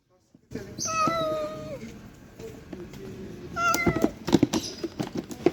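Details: Abandoned stray kitten that survived two days in -11°C snow before rescue gives two drawn-out, steady meows, the second shorter and followed by rustling and knocking handling noises.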